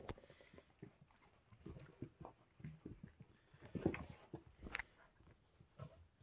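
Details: A litter of 3-week-old English Springer Spaniel puppies makes low grunts and snuffles broken by thin, short squeaks and whimpers, coming unevenly and overlapping, with quiet handling noise.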